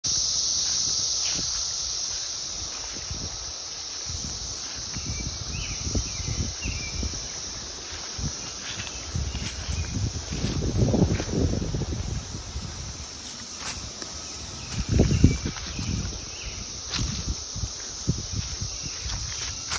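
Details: Cicadas singing in summer 2021: a steady, high-pitched droning buzz runs unbroken through the whole recording, over low rumbling noise and occasional rustling bursts.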